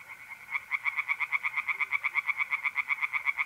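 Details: Tree frog singing by a pond at night in mid-April, North-East Italy: rapid pulsed croaks, about three per second, in a steady run after a quiet start, with a continuous trill of mole crickets behind.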